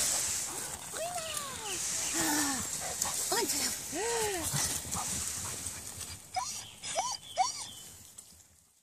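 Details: Dog at a boarding kennel in Reichshof, dated 15.04.14, giving high arched whines and yelps at irregular intervals, each a short rising-then-falling cry. Heavy hiss and people's voices sit underneath.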